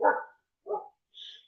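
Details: Female domestic dog barking at a German Shepherd: two short, mid-pitched barks about half a second apart, followed by a fainter, higher-pitched sound.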